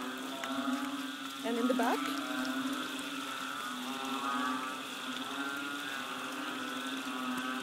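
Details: Chorus of banded bullfrogs behind a bungalow on Koh Lanta, Thailand, during the rains in March 2011: a dense, steady wall of low, droning moo-like tones overlapping without pause, with a brief human voice cutting in near the start.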